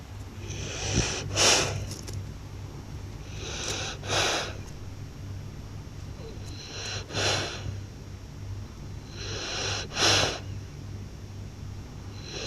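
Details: Blue French Bulldog snoring loudly while asleep: rough, hissing double breaths, each an inhale then an exhale, recurring about every three seconds, over a steady low hum.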